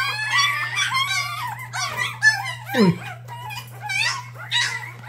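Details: Mixed-breed puppies, adopted strays, on their seventh day of formula bottle-feeding indoors, whine in high, wavering, harmonic cries. Several voices overlap and rise and fall irregularly over a steady low electrical hum.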